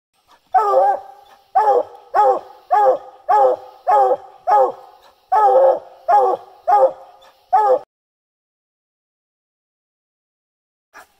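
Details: Bluetick Coonhounds barking treed at a tree, a run of about twelve loud, harmonic barks or bawls repeated roughly twice a second, then a sudden stop and quiet.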